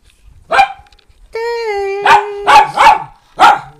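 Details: Rescue pet dogs, a household of four Miniature Pinschers and a fawn Doberman, barking: a sharp single bark, a long steady tonal whine-like note, then three quick barks and one more after a pause.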